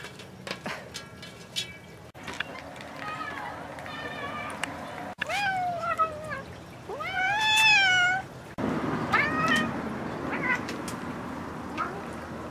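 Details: Bengal cats at play with Snacky Mouse toy mice give a series of meows: short chirpy calls early, then two long drawn-out meows that rise and fall, the loudest near the middle, with clicks and rustling between them.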